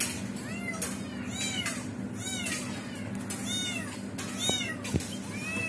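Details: Kitten trapped while its mother tries to rescue it; sharp arched meows repeated roughly every half second to second, with a couple of knocking clicks near the end and low hum.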